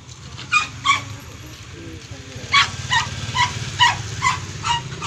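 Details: German Shepherd during a stud session: a run of short, high, clipped yelps or whines, about nine of them in two bursts with a brief pause, over a steady low hum.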